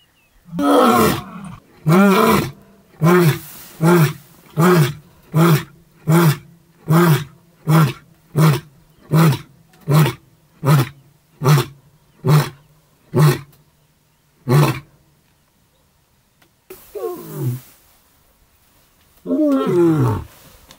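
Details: Maasai Mara male lion roaring one morning near his mating brother: two long moaning roars open a sequence of about fifteen short, deep grunts that get faster and quieter, then a pause before two more drawn-out groaning calls.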